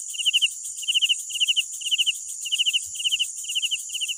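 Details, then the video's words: Chirping night crickets: quick groups of four pulses, repeated roughly every half second, steady and bright against a dense shrill insect hum. "Sounds of Night Crickets"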